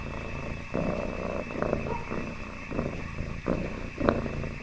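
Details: Happy domestic cat purring: a continuous low rumbling throb that swells and fades in pulses about every second, with faint soft rustles and clicks over it.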